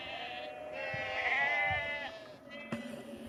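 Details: A sheep gives a long, wavering, nasal bleat lasting about two seconds as a farmer calls his flock and moves them down a lane to another field near Cefn Coch, Powys, Wales, on 31 March 2021.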